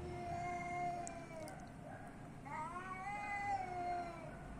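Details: Athens street cat meowing twice in long drawn wails, the second starting with a quick upward sweep and holding steady before tapering, against a steady low background rumble.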